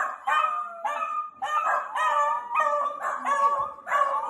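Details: Playing Dachshund puppies give tonal, slightly wavering yelps, each about half a second long and repeated roughly twice per second in an unbroken string.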